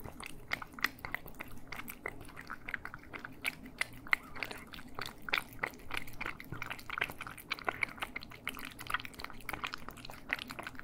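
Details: Cats eating, captured in stereo for ASMR: a steady run of crisp, rapid chewing clicks and crunches, several per second, over a faint low room hum throughout.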